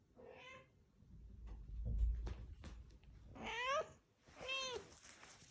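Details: Female Scottish Straight cat from a Dordogne cattery fetching a ball and asking for another throw; one short meow, a thud and handling noises, then two rising-falling meows close together near the end.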